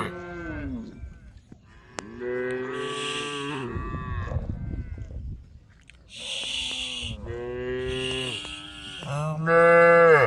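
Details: Group of tame cows, all female, standing on a road and calling to the herd; several cows low in turn, with long drawn-out harmonic moos, some rising then falling, overlapping, the loudest at the very end.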